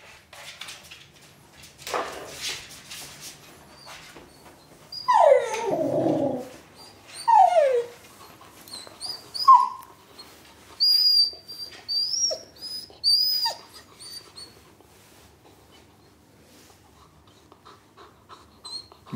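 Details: Puppy named Björn, left home alone indoors, whimpering in a small room: falling whines, one lower drawn-out cry, then thin high squeaky whines near the end, with scattered clicks and knocks between.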